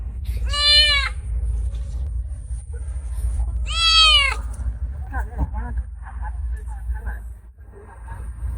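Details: Injured, starving stray kitten, hesitant while a man lures it with food, gives two clear arched meows about three seconds apart, each falling at the end; low rumbling background and soft rustling sounds follow.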